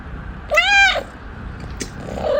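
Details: Domestic cat begging its human for something: one clear meow about half a second long, rising slightly then falling, with strong harmonic tone, followed by a brief faint chirp-like sound and soft room noise.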